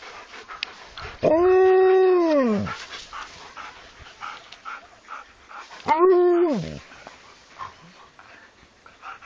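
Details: Two howls from an Alaskan Malamute, about four seconds apart: the first long, arched and falling at its end, the second shorter and similarly arched, with low background noise between them.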